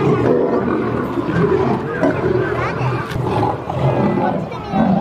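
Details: Two lions fighting, filling the whole stretch with loud, continuous rasping growls and snarls, harsh and broadband, rising and falling in surges without a pause.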